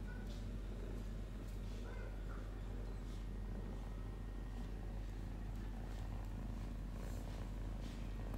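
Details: Domestic cat purring steadily, a low continuous rumbling throb with no breaks across the whole stretch, a few faint soft clicks and rustles above it.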